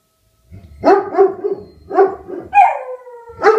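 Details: Two pet dogs, a Beagle and a German Shepherd, howling in response to a tornado siren: choppy, wavering baying yowls that break into pulses, then one long drawn-out steady howl with clear overtones before another yowl begins.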